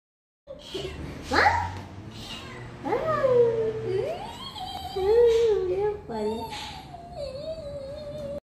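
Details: Domestic cat at play time, giving a string of drawn-out, wavering meows that rise and fall in pitch, about five over eight seconds, with a person speaking Hindi in the room between the calls.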